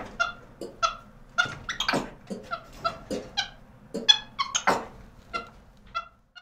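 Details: A caged capuchin monkey calling indoors. It gives brief, high, squeaky chirps in irregular quick series, broken by sharp rattles of the cage, over a low ventilation hum.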